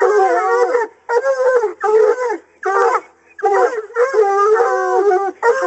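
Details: Coonhounds bay at a caged raccoon in hunting training; rich, wobbling harmonic howls in bursts of roughly a second, several dogs calling together with brief gaps.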